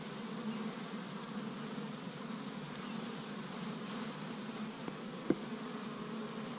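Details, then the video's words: Busy honey bees at an established Michigan hive in spring, first warm day, collecting tree-bud pollen; constant droning hum of many bees, with a few brief clicks and one sharp tap near the end. "See Busy Honey Bees Active in the Spring"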